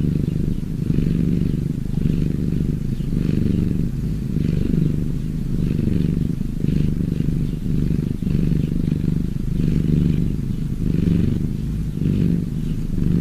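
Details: Purring of cats, a continuous deep throaty drone pulsing with each breath at about one-second intervals, even and unbroken throughout.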